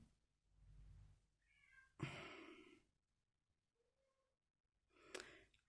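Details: Male house cat meowing indoors, mad that he cannot come into the room: two quiet, short, tonal meows a couple of seconds apart, with a louder thump and rustling between them in a small room.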